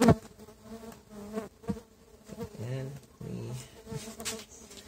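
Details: Stingless bee colony (Tetragonula biroi), transferred a month earlier from a feral hive into a box, hums steadily while being inspected; handling knocks and short bursts of Spanish talk cut across the low buzz.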